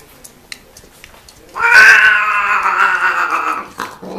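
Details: Domestic cats mating, giving a strange-sounding call: after a quiet start, a loud drawn-out harmonic yowl holds steady for about two seconds, then drops away, followed by a short low rising sound at the end.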